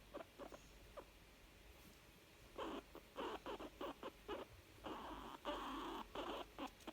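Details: A young female guinea pig, said to be content and happy, giving short chirping and chuckling calls in uneven bursts, some clustered into longer runs, with quiet gaps between.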